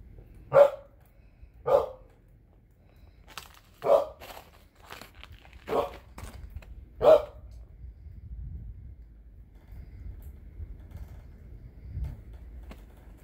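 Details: Elderly dog, fourteen years old, barks at snow: five loud, abrupt barks spaced one to two seconds apart, mixed with faint crunching clicks, then a quieter stretch of low rumbling.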